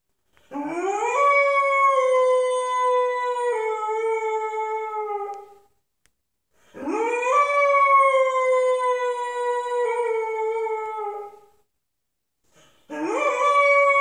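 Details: A pit bull puppy called Moose, 10 months old and unhappy, sings the blues indoors with repeated long howls, each rising sharply at the start, holding a wavering tone about five seconds, then fading, roughly every six seconds.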